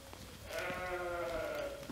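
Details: Young Jura sheep, about twelve months old, in a flock joined a few days earlier by the breeding ram; they spend days on pasture and nights in the stable. One long, steady, tonal bleat with a slight waver, over quiet outdoor background.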